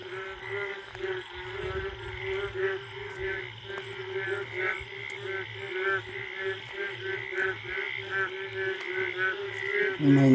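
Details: Indian frogs calling in a forest late at night after the first rain, a mating chorus: dense overlapping pulsed croaks and trills layered continuously, with a steady low droning hum underneath.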